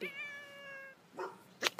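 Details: Domestic cat screaming in a funny compilation: one flat, steady, nasal wail held for about a second, then two brief sharp thumps or clicks.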